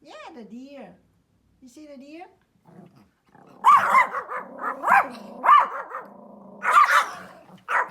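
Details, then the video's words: Small Pomeranian dog outdoors: after a few seconds of a person speaking Vietnamese, a string of loud, sharp, clustered barks bursts out, some in quick doubles, with brief gaps between. "The small Pomeranian dog makes a funny barking sounds outdoor"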